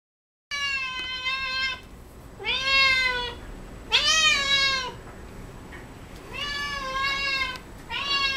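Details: Coco the cat, a domestic pet eating cat grass indoors, gives a run of clear meows, each a bright arched wail with stacked harmonics, five calls spaced about a second apart in a quiet room.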